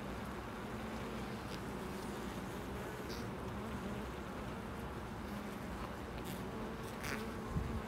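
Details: Bees at a loading dock, heard as a steady low droning hum with a dense, noisy background throughout and a brief louder knock near the end.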